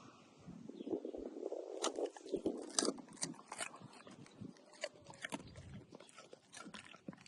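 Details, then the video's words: A dog eating cucumber: quick crisp crunching bites and wet chewing clicks, uneven, about two per second, with brief pauses between mouthfuls. "Dog eating cucumber with funny sound"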